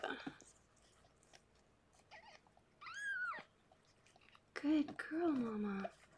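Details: Rescued pregnant foster cat Harlequin indoors around the birth of her six kittens; a single high, arched mew, then human voices talking softly over low room hiss.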